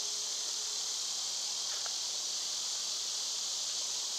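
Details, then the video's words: Loud continuous cicada drone on a summer day, an unbroken harsh high-pitched hiss filling the upper range, with a brief faint chirp midway and almost no low sound. "Birds & Squirrels w/ Cicada sounds"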